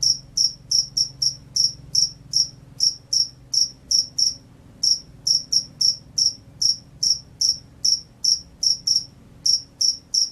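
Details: Field cricket chirping vigorously: short, bright, high-pitched chirps repeated about two to three per second in a steady train, with a brief pause near the middle. The background is quiet apart from a faint low hum.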